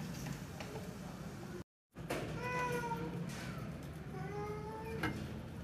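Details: Pet cat named Shero, a big cat likened to a teddy bear, in Pakistan: two drawn-out, slightly wavering meows about two seconds apart, preceded by a brief dropout, over steady background hum and faint music.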